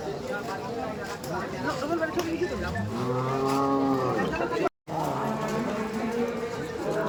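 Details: Cattle at the Khokar Math cattle market, one long low moo rising then falling over about two seconds, surrounded by constant crowd chatter and market noise, with a brief dropout near the end.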